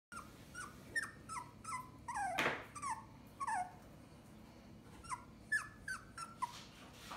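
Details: A white Toy Poodle puppy, which the owner suspects is scared of being up high, whimpers in quick, high, downward-sliding whines, one after another.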